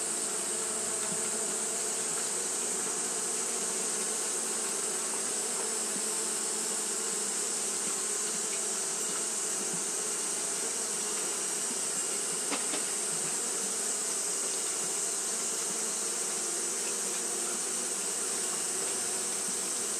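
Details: On a hot day, Japanese honey bees keep up their fanning behaviour: a dense, even drone of many wings with a bright sustained hiss above. A faint tick sounds near the middle.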